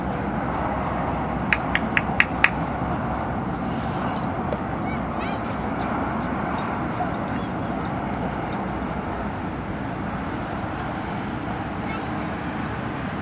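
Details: Dog at Seal Point Dog Park on the western side of San Francisco Bay, December 7, 2015, with Rosy and Rocky out together; a quick burst of four sharp barks early on, then only steady wind and low traffic rumble.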